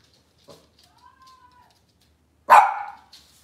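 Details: Cavalier King Charles Spaniel at a breeder's home, kitchen camera on a cloudy Monday morning; a single sharp bark follows a faint whine, with a quiet room around it.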